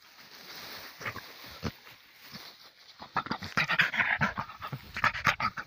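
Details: Russian Spaniel Shustrik in the forest, heavy rapid panting and sniffing bursts that grow louder and quicker in the second half, with faint rustling in the background.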